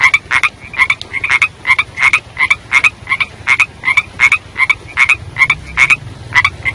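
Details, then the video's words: Young frogs heard during the rainy season, giving a fast series of short, ringing croaks about three per second, some calls doubled, with a faint low rumble underneath toward the end. "Suara Anak Kodok Pada Saat Musim Hujan"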